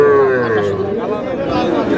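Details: Young calf among small bull and heifer calves bought by a Dhaka farmer, Bangladesh, 21 February: one sustained, slightly falling moo lasting about two seconds, partly overlapped by a man speaking.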